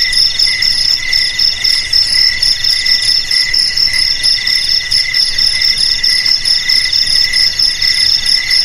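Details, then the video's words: Crickets in a dense, continuous chorus, played as a rat deterrent: shrill, high, steady trilling in several overlapping pitches, with a fast pulsing throb running through it and no other sounds. "Suara JANGKRIK"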